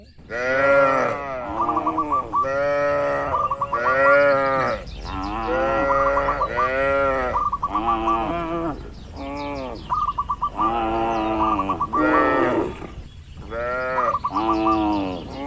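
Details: Dozens of tame, calm cattle in a livestock farm pen lowing; a dense run of arched, rich moos from several animals one after another, interspersed with short hooked chirping notes repeated in quick bursts.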